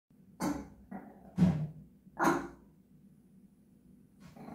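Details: Japanese Chin singing: three short yelping, moaning vocal bursts about a second apart, then a softer rising one near the end, against a low steady hum.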